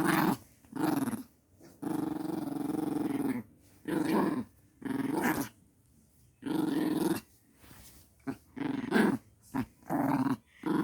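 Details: Household puppy growling indoors: a run of sustained, low, raspy growls, each lasting about one to two seconds, separated by short silent gaps, with a few brief choppy growls near the end.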